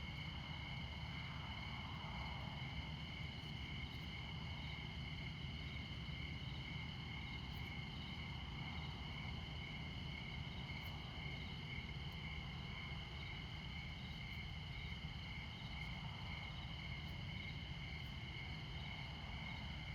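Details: Crickets at midnight in Montana beside Interstate 94 in the far north of the continental USA. Steady high ringing trills with faint pulsed chirps above, over a constant low rumble of highway traffic.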